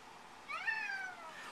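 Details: Egyptian Mau cat, male pet indoors, talking back with a meow during a flash-card reading game; a clear meow rising then gently falling, lasting about half a second.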